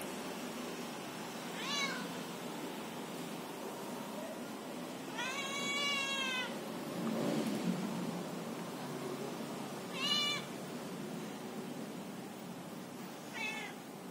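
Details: A talking domestic cat gives four separate meows over fourteen seconds: a short one near two seconds, a long drawn-out harmonic meow around five to six seconds, then two brief meows near ten and thirteen seconds, against quiet indoor background hiss.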